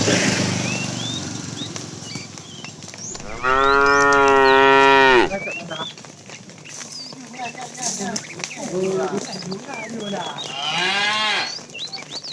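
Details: In the afternoon, a fat cow in a tame herd being driven along gives a loud, drawn-out moo calling to a female, then a second, softer moo.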